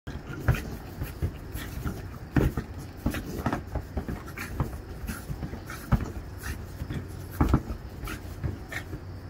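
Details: Pet dog in the United States with the zoomies, dashing about on a grassy doormat; quick, soft, breathy panting runs throughout, with sharper thumps and scuffs from its paws every second or two.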